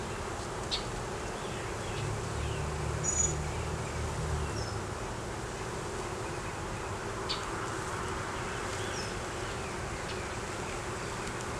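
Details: Honey bees in an opened hive during a beeyard inspection that found a laying queen, honey, capped brood and larvae, recorded on a Canon Rebel T6 DSLR: a steady, dense droning hum with a low tone near the bottom, a few soft clicks and brief higher buzzes of passing bees.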